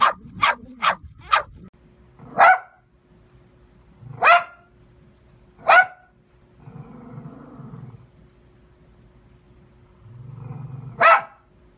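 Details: Dog barking: a quick burst of four sharp barks, then single loud barks every one and a half to two seconds, with low growling rumbles between them.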